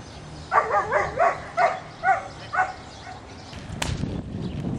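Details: A male, very dark Belgian Malinois, a working dog and litter sire, gives a quick run of sharp, ringing barks, about two each second.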